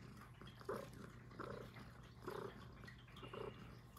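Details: Close, quiet purring from Puff, a little female Highland Lynx cat, with four breathy pulses in four seconds and a low steady hum behind.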